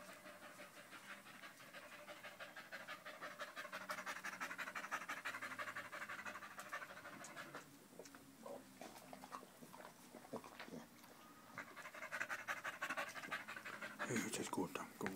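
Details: On 05.08.2013 the dog Danco, clinging to a person's leg beside new Malinois puppy Amy, pants rapidly; the breaths run steadily at first, then become broken and mixed with scattered knocks and rustling toward the end.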